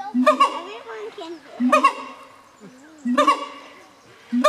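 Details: Siamang calls from 2015: three loud harmonic bark bursts roughly every one and a half seconds, separated by low, soft wavering tones.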